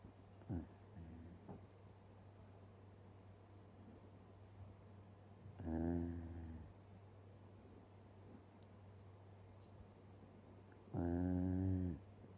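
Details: Indoor Shiba Inu asleep with its mouth open, giving three snores spaced several seconds apart: a short one early, then two longer, buzzy, harmonic rasps about a second each, over a steady low background hum.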